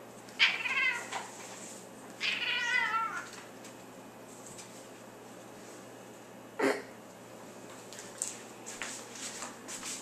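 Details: Playfully nudged, a pet female cat gives two wavering, trilled meows two seconds apart, the second longer and more tremulous, followed by a sharp knock and scattered rustling.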